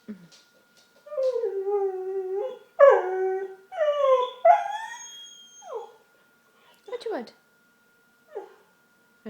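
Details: Pet dog at home, indoors, making weird noises and apparently asking for something, gives drawn-out, wavering, tonal howl-whines in several long phrases, rising and falling, then short yelping whimpers; a person's voice is heard briefly.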